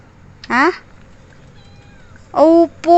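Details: Pet cat meowing for attention indoors: one short rising-falling meow, a pause, then two brief, bright meows close together, with a person talking nearby in Filipino.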